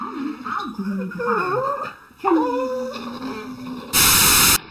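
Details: Dog making drawn-out whining, talking-like vocal glides that rise and fall in pitch over about two seconds, then a second bending moan, followed by a brief burst of loud noise.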